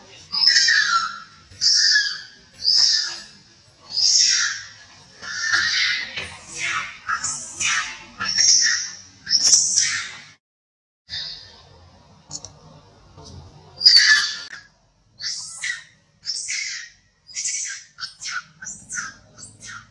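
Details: A hurt old monkey gives a long run of loud, high-pitched screaming cries, one about every half second to a second. The bursts are short and harsh, with a brief pause near the middle before the crying starts again.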